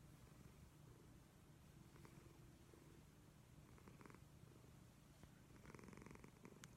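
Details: Leo the pet cat snoring loudly while asleep: a steady low rumble with soft breathy bursts near the second, fourth and sixth seconds, in a quiet indoor room.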